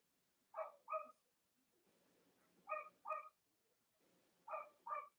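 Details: Cavalier King Charles Spaniel puppies from Robin and Myra's litters on a split-screen live stream. Three pairs of short, soft yips spaced about two seconds apart over low rustling.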